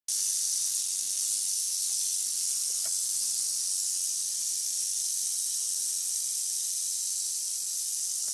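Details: Two eastern diamondback rattlesnakes rattling together. The sound is a dense, continuous high buzzing hiss that stays steady and unbroken throughout.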